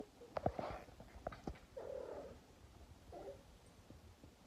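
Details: A domestic cat makes strange, low, warbling murmurs and chirps, odd alien-like noises.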